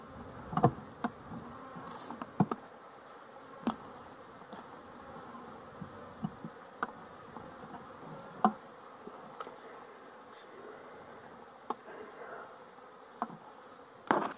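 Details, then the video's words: Continuous humming drone of honey bees, dated 12-11-23, broken by frequent short tapping clicks, some loud, across the whole stretch. "Honey Bees for Fun"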